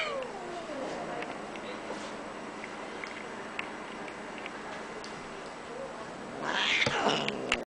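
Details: A cranky Bengal cat, an older brother, gives a drawn-out, falling meow over a soft background hiss.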